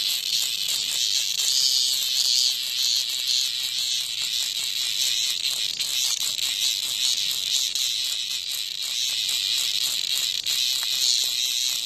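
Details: Cicada under attack by a hornet in front of a house, giving a loud, continuous high-pitched buzz with rapid rasping pulses and slight swells in intensity throughout.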